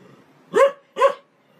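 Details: Two loud, clear barks from a domestic dog, each short and harsh, spaced about half a second apart against a quiet background.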